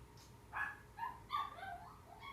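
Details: Pet dog in a multi-dog household, where the older sister answers the younger one's cries with howls: a few short, quiet whimpering yips rising and falling in pitch, heard against faint room noise.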